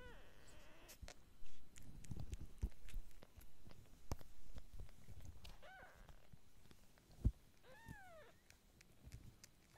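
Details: Kitten giving a few short, high arched meows, rising then falling, spread across the clip, with thumping handling noise, low rumbles and some speech in between.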